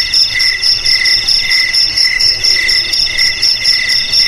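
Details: Brief stretch of cricket chirping, bell-like high pulses repeated several times a second over a constant shrill ringing.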